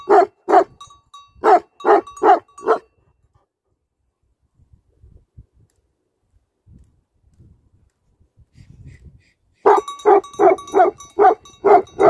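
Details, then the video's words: Bursts of repeated heavy barking from livestock guardian dogs open and close the recording, with about seven seconds of near quiet and faint low shuffling noises in between. "Livestock Guardian Dogs Barking"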